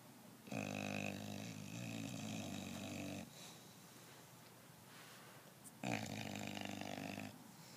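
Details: English Bulldog snoring loudly, long rattling, droning snores lasting nearly three seconds each, with a pulsing low buzz and rich overtones, two snores separated by softer breathing.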